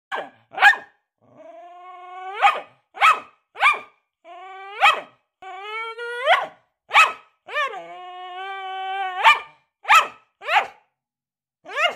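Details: A Staffordshire Bull Terrier showing off for the camera lets out sharp barks mixed with drawn-out, rising whining yowls.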